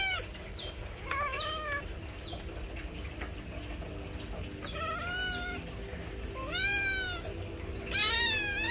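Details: Kittens cared for by their mother cat, giving short high descending mews in quick succession, followed by several drawn-out, wavering meows rich in harmonics, the last one loud and rising; faint room noise underneath.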